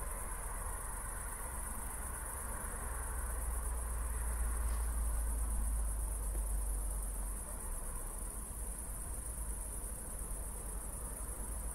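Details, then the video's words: Crickets at night in Zwettl, Austria, just after a thunderstorm, with city lights in the distance. A steady high, finely pulsed chorus runs throughout over a deep low rumble, and a faint broad swell appears midway. "ASMR Cricket Sounds"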